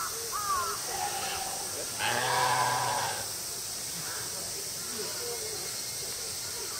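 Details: Female mouflons at Tama Zoological Park in Japan during a summer night event, August 2012, suddenly calling all at once: one loud, wavering bleat around two seconds in, with fainter cries and steady insect hiss behind.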